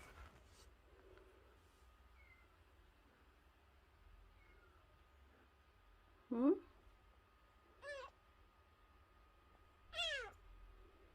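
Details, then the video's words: Unweaned stray kitten, less than a month old, taken in after crying by the front gate; after a long hush, three separate high meows rise and fall a couple of seconds apart, the first lower and the last loudest. "엄마가 빽빽거리며 우는 동생 하나를 데려왔어요. 대문앞에서 울고 있었다는젖먹이 아기고양이"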